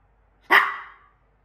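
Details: Maltipoo left alone with her favourite treat gives one sharp, loud, single bark, then silence; a woman's voice scolds in Russian around it.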